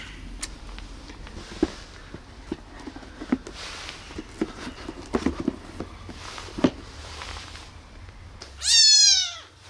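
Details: Tiny abandoned baby kitten, rescued from a box left on the street, gives a single loud, high, drawn-out meow with a falling tail near the end, after quiet rustling and soft handling noises indoors.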